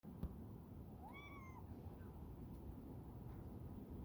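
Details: A cat in Texas gives one short meow, rising and then falling, about half a second long, over a steady low rumble, with a soft click just before it and a faint second call after.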